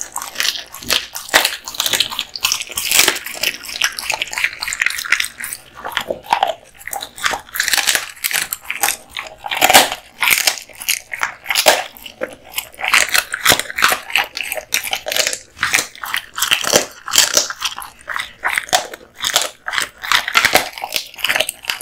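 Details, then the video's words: Kotetsu, a male American Bully (Pit Bull) born 2016/8/8, eating duck spine jerky indoors: dense, irregular crunching and biting bursts, sharp cracks with wet gnawing in between, continuing steadily throughout. "Dog eating Duck spine jerky"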